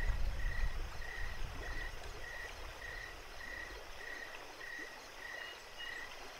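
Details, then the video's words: Night-time cricket chirping beside a running creek at Jacobs Creek: evenly spaced short high chirps, roughly ten in a row, against a constant low gurgle of water. "creek and crickets night time"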